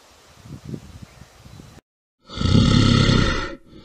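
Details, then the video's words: Bear vocalising: a run of low, soft grunting huffs, a brief silence, then a loud, sustained, rough roar lasting just over a second. "The Best BEARS SOUNDS"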